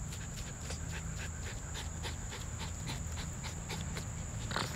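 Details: Norfolk Terriers digging in the ground among tree roots, rapid rhythmic breathy panting at about four puffs a second, with a steady high-pitched hiss throughout.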